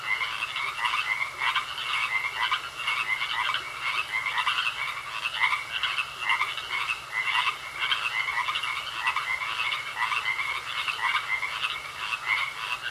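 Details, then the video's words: Frogs croaking in a pond: a dense, continuous chorus of many overlapping callers, each giving rapid, rattling pulsed croaks in quick bursts that rise and fall in loudness without pause. "Sounds Of Frogs Croaking In A Pond"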